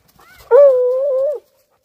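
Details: A female Redbone Coonhound working a wood pile in winter, after what is probably a rodent, gives one long, steady, mellow bay with a slight waver, about a second long.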